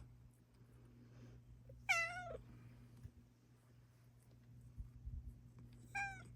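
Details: Luna, a domestic Bengal cat, meowing one morning indoors; two loud, warbling meows about four seconds apart, with soft rustles and a low electrical hum between them.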